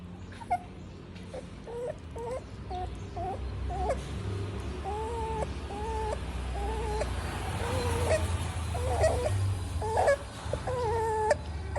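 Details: A pug puppy cries while eating, giving high, thin whimpers in a steady string of short whines. Each is level or slightly rising and comes about once a second. Soft clicks and rustles are heard around them.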